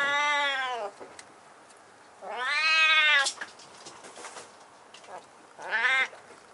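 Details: Husky-voiced kitten that climbed up to a high place in a room, giving three drawn-out meows, each about a second long, with a scratchy rising-then-falling tone and pauses between them in a quiet indoor space.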